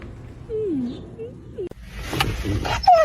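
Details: Pet dog in a home from a funny dog compilation. It gives a couple of thin, falling whimpers, then a brief rising squeak. A person's voice and household noise follow in the second half.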